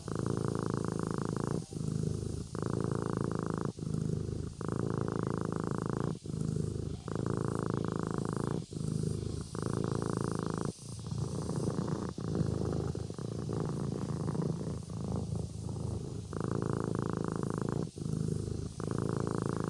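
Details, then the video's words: Sleeping kitten purring: a low, steady rumble in phrases of about one to one and a half seconds, each broken by a short pause at every breath, with a faint background hiss. "Suara Anak Kucing Tidur Sambil Mendengkur"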